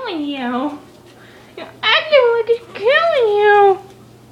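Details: Indoors, a diapered rescued kitten named Mr. Whiskers, always a loud whiny cat, lets out three drawn-out meows, each bending upward and then sliding down, separated by brief pauses, with a faint steady hum underneath.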